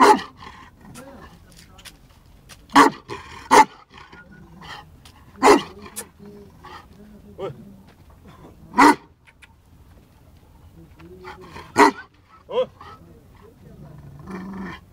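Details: Male Bully Kutta dog aged 11 months and 19 days giving loud single barks spaced a few seconds apart, with quieter murmuring and background noise between them.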